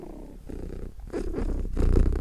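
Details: Brief close-range cat purr, a throaty vibrating rumble that grows louder toward the end.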